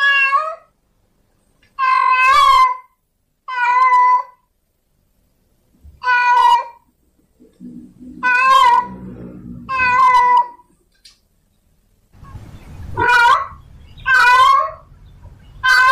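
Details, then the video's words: Domestic tomcat in heat calling a female: a run of short, strained meows, some with a wavering quiver, spaced by silences, with low rumbling noise between several calls. "Suara kucing Jantan Birahi memanggil kucing Betina"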